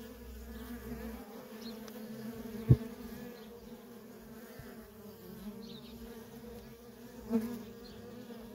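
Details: Feral honey bee colony with worker bees coming and going nonstop: a continuous droning hum in stacked harmonic bands, broken by two sharp clicks or knocks, with a low rumble in the opening second.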